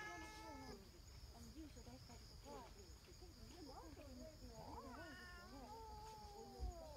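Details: Female brown tabby community cat, joined by a black cat that arrived later: a short harmonic meow opens, then a long, drawn-out falling meow near the end, with soft human speech throughout.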